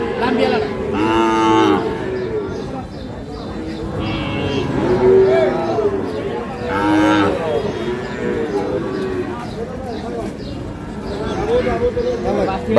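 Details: Sahiwal breed bull calves at Ambari market in Dinajpur, Bangladesh, 11 May: several brief moos scattered through the clip, overlapped by men talking and the busy hubbub of the livestock market.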